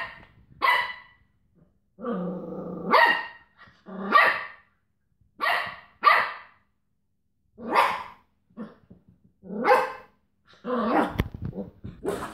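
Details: Cocker Spaniel tussling with a washing tablet carton: short harsh barks mixed with longer, lower, droning growl-like stretches, one lasting about a second, then a dense burst of scuffling noise near the end.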